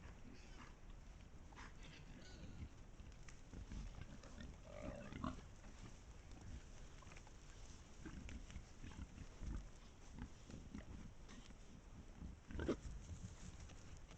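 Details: Wild boars travelling as a pack in Estonia, recorded by a trail camera: soft, low grunting and snorting over constant rustling of undergrowth, with a louder burst of noise near the end.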